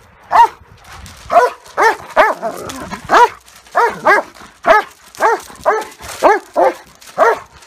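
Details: Dogs fighting, a German Shepherd against a Great Dane, giving a steady series of clear harmonic barks about once a second, sometimes doubled, with a short gravelly growl between them.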